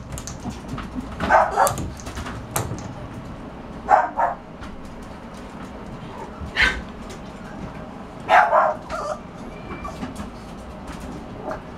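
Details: Bulldog puppy giving scattered high yips and paired barks every few seconds, amid clicks, shuffling noises and soft background voices.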